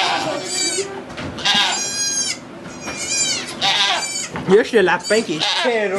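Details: Goat in labour at a sugar shack near St-Benoît, Quebec, Canada, recorded on an iPod Touch 4G; several long, quavering bleats stretch over half a second each, with French speech and quick rising voice sounds late in the clip.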